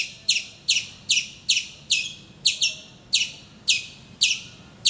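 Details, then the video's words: Squirrel calling vociferously in the morning from a mango tree outside a bedroom window in Calicut, Kerala, India; sharp high chirps repeated about twice per second, each a bright falling note, over quiet low background hum. "Nature's alarm clock - my squirrel friend from Calicut, Kerala, INDIA !"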